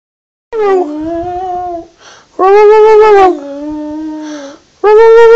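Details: Wilson, a border terrier, singing indoors: long, sustained howl-like tones with rich harmonics and a gently wavering pitch, delivered in four drawn-out phrases separated by brief breathy pauses.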